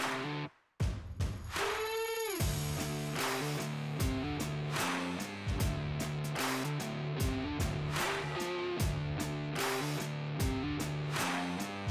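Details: Rock music with strummed electric guitar and a steady beat plays, including a sliding guitar note near the start, and no animal calls are heard.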